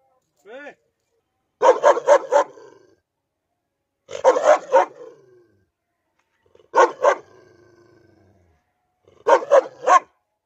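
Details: A dog turning aggressive toward its owner gives a brief rising-falling whine, then harsh barks in tight bursts of three or four, repeated roughly every two to three seconds, with quiet gaps and faint rumbling between them.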